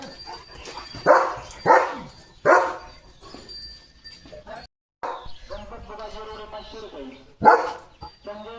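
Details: Leo the German Shepherd, a pet, gives a few scattered hoarse barks in the morning as cattle walk past toward the fields, mixed with a person talking and a pause between the barks.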